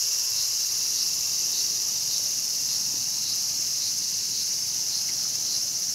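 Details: At Showa Kinen Park in Tokyo, 2020, a cicada seized by a mantis. Sustained high, sizzling drone with a soft, slightly wavering pulse, about two beats per second.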